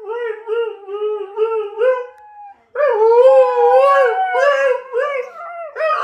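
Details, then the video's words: Two huskies howling together after a female starts up excitedly at her favorite online clip and the other joins. Long wavering mid-pitched howls with rich overtones, a brief pause, then a louder, higher, overlapping howl. "Howling huskies"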